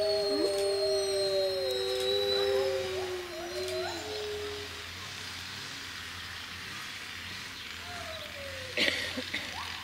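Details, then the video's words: Chorus of Monde Sauvage wolves howling together with visitors. Layered drawn-out tones open the clip, slowly wavering and sliding down, then fade. One shorter falling howl and a brief sharp sound follow near the end. "huilen met de wolven (hurler avec les loups)"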